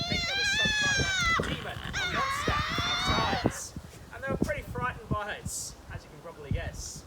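Tasmanian devils give harsh, drawn-out screeches and rough grunts while fighting over food.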